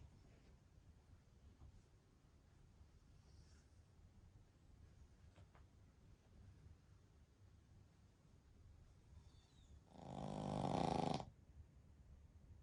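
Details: A Pekingese x Shih Tzu mix, one of a three-dog family (father Shiro, mother Shii, daughter Shiiyu), napping deeply indoors; after a long near-silent stretch comes one loud rasping snore lasting about a second, then quiet again.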